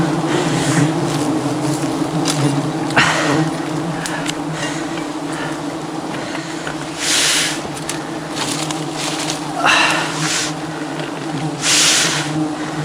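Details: Aggressive swarm of thousands of angry honey bees attacking a honey hunter during wild honey harvesting high above the jungle; a dense, steady low droning hum with layered tones, broken by bursts of rustling noise and occasional voices.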